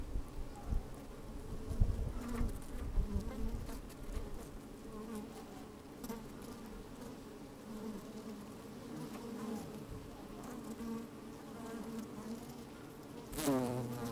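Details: Honey bees at work inside an open hive on a fine, sunny day, microphone slid down into the hive: a dense, steady low hum with banded drone tones, occasional louder buzzes, wind bumps and crawling scratches.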